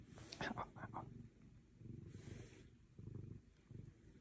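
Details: Otis, an orange tabby cat, relaxing before bed while holding a person's arm and getting a belly rub. Soft, low rumbling purr pulses come in waves, with a brief human voice and rustling at the start.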